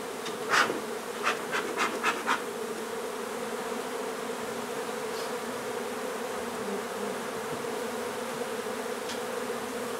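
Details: Honey bee colony being removed from an old home under renovation in Donna, Texas: a steady, low droning hum throughout, with a quick run of sharp taps or clicks early on.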